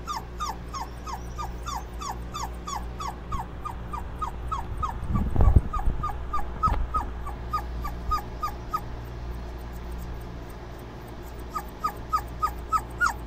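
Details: Several Dobermann puppies cooling off keep up rapid, downward-sliding whimpers, a few louder yelps near the end, with a brief thump and steady background hum.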